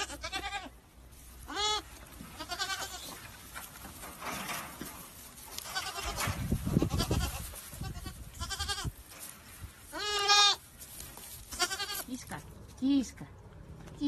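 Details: Goat kids bleating repeatedly: short, quavering, nasal bleats at irregular intervals of one to several seconds, some louder and longer, with low rumbling handling noise in between.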